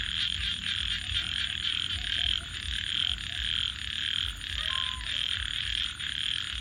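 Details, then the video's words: Frogs after dark keep up a loud, high, wavering chorus, with a few clear lower croaks near the end and campfire crackles and a soft rumble beneath. "Virtual Campfire with Crackling Fire 🔥 and frogs 🐸 Sounds continue"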